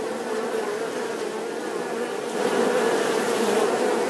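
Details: Short burst of bee buzzing, a steady hum that grows a little louder and brighter partway through as a bee seems to pass closer.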